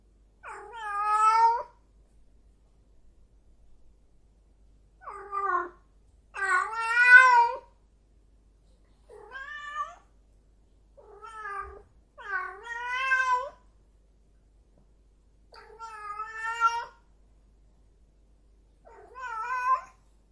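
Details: Yowling female cat in heat: about nine separate wailing meows, short and long, many bending upward then down, spaced irregularly with quiet pauses between; no other sounds.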